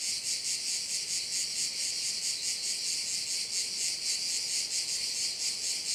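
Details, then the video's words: Korčula bay crickets in Croatia: an unbroken, shrill chorus of fast throbbing pulses, high-pitched and level throughout, with no other clear sounds. "Korčula - view of one of the bays in Korcula with sounds of crickets"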